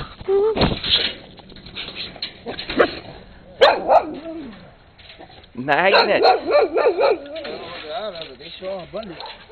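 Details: Brown skinny mixed-breed dog barking up a storm in late 2006 alongside a red Husky; scattered yelps under a person's chatter, then a quick wavering string of high whiny barks near the end.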